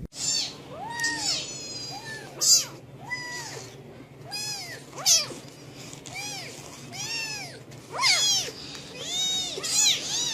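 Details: Domestic cat in an angry mood making many rapid arched meows, rising and falling, a dozen or so in ten seconds, mixed with sharp clicks and a steady low hum.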